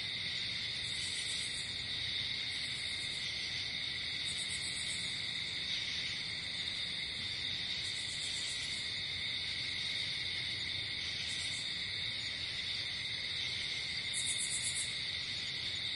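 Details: Crickets calling at night in nature, a ceaseless shrill trill with brief, sharper high-pitched buzzy bursts recurring irregularly, roughly every two to three seconds.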